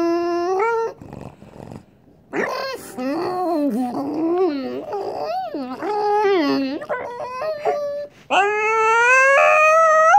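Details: French Bulldog making long, engine-like whining sounds said to resemble a racing car, with sustained nasal tones that rise and fall, pausing briefly before a final rising drawn-out whine.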